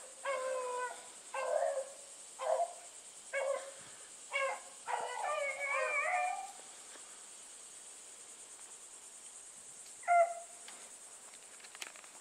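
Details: Bluetick hounds running as a pack with another dog bay repeatedly, a run of about seven rough, drawn-out harmonic bawls in the first six seconds, overlapping voices near the end, then quiet and one last bay at ten seconds.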